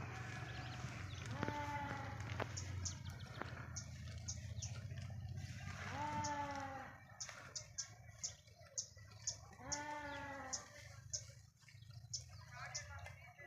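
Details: Sheep grazing in a forest give three separate quavering bleats, spaced about four seconds apart, over a low steady hum with soft ticking sounds in the background.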